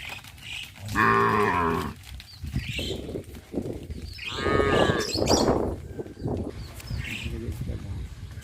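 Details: Village cattle moving to a grassy pasture in the morning; two moos, a full one early and a rougher, overlapping one midway, amid steady trampling, rustling and mixed farmyard noise.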